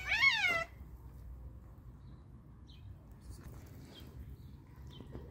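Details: Stray cat, one of a hungry group, gives a single loud, arching, harmonic meow lasting under a second, followed by near silence with faint background hum and a few soft distant chirps.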